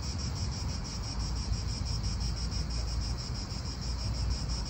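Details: In an Italian park, cicadas give a bright, sustained buzzing with clearly beating pulses several times a second, while wind roars low and steady beneath.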